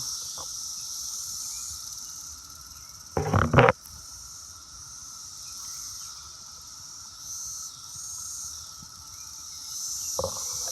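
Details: Brood X cicadas massed on an apple tree in June: a steady high droning buzz runs throughout, interrupted around the middle by a loud rustling, shaking burst of noise, with a few quieter thumps.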